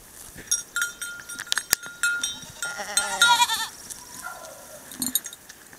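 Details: Goats of a San Clemente Island goat mix herd in a new pasture, with sharp clicks and a steady ringing tone early on, then a quavering, nasal bleat around three seconds, followed by a softer, lower call.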